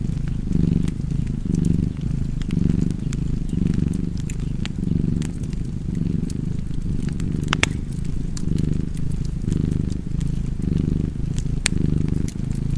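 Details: A cat's continuous low purring hum, its breath cycles blurred into a nearly even drone, beside a fireplace giving occasional sharp crackles and snaps.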